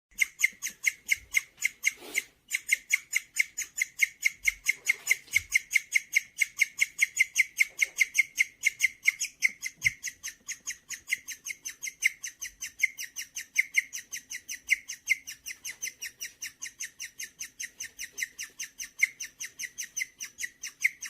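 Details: Gureum, a pet guinea pig, making its bird-like chirping sound when feeling good: a long, steady run of rapid, evenly spaced high chirps, several each second, continuing without pause in a quiet indoor room.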